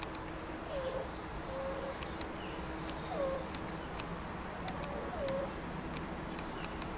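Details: Meerkats at Rostock Zoo, Germany, give soft, brief tonal chirps and calls, spaced irregularly, over a low steady hum.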